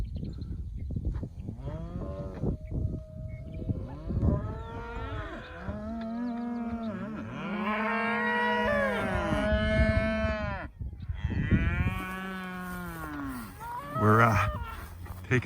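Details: A cattle herd on a ranch in Northern Colorado, being driven to a different pasture, calls repeatedly: many overlapping moos, some short and rising, others long and wavering, by several animals over fifteen seconds, in a quiet outdoor setting.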